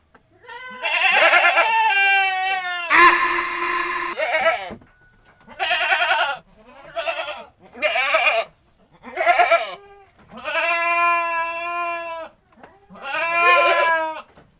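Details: Chatty goat calling almost nonstop: eight loud, nasal, quavering bleats, each about a second long and separated by short gaps, some rising and falling in pitch.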